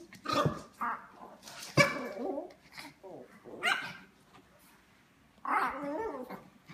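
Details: Two small dogs, a Yorkie and a Morkie, playing together on a tiny couch, giving short irregular barks and rough growls in scattered bursts, with human speech between them.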